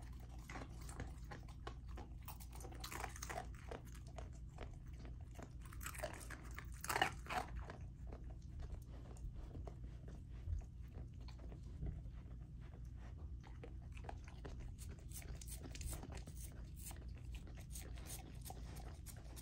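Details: Golden Retriever puppy Lilo, a female fed a raw diet, crunching and gnawing through chicken drumstick, thigh and sockeye salmon indoors; dense irregular bites and crunches throughout, low rumbling background, a louder crunch near the middle.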